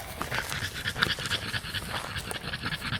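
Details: Four-year-old female French Bulldog, tired from a walk, panting rapidly and rhythmically while fixated on an electric insect racket, with faint clicks and brief high tones.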